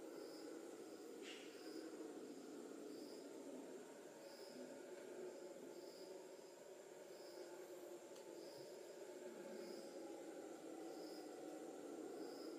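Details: Distant howler monkeys roar in a deep, steady drone like ocean surf, with insects pulsing above.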